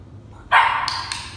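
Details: Pappy, a nine-week-old male German Shepherd puppy in obedience training, gives one sharp, loud bark that starts abruptly and fades over about a second, with a brief crackly tail and a quiet background.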